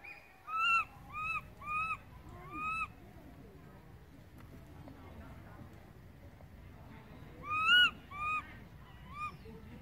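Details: Separated from its mother, who has wandered far off, a baby monkey cries loudly for her: a rapid run of five short arched wails, a quiet gap, then another burst of three or four cries.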